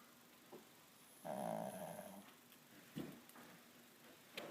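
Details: Pet dog Pugsly asleep indoors, one long rasping snore with a rough buzzing tone lasting about a second, then soft breaths and small clicks.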